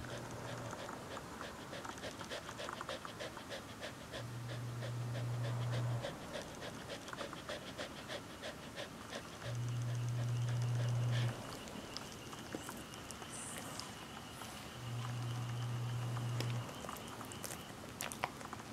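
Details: A sleeping Corgi named Hana in summer heat, panting quickly and steadily, about three breaths each second, airy and low-pitched, over a quiet background.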